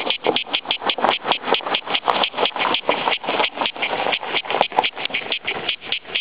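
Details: Cicadas in full chorus: a dense, harsh, rattling buzz pulsing several times a second without a break, each pulse a broad rasp in the upper-middle range.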